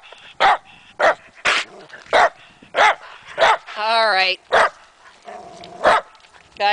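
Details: Matea and Morley, two dogs on a trail, keep barking at a tree they suspect holds chipmunks: sharp repeated barks, with a drawn-out wavering whine in the middle and a short bark at the end.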